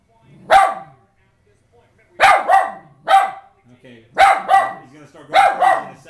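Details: West Highland White Terrier indoors reacting excitedly to the Olympic moguls event on television; loud barks in quick pairs, separated by short pauses, with faint whining between bursts.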